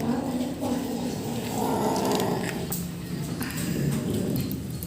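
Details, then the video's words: Young rescue kitten, a male, growling over its food indoors, a steady low rumbling growl that swells in the middle and holds throughout, with faint clicks and handling noises around it. "Rescue kitten Making Annoying 😾 Sounds while Eating"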